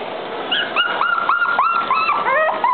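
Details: Female Maltese dog giving a rapid series of high, thin whines, each bending up and then down, about a dozen packed into under three seconds with barely a pause between them.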